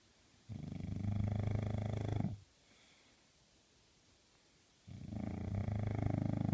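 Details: A male English bulldog puppy snores in long, deep, rattling breaths separated by a quiet pause.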